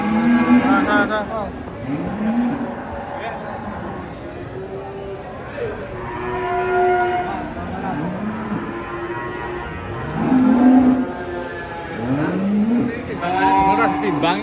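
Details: Giant cattle being unloaded from a truck in the morning for weighing. Several drawn-out, rising moos sound one after another over steady background bustle and voices.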